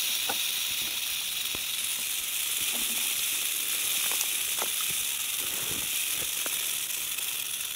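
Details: A western diamondback rattlesnake poised to strike keeps up an unbroken, sizzling high buzz from its rattle, even and continuous throughout, with scattered soft clicks beneath.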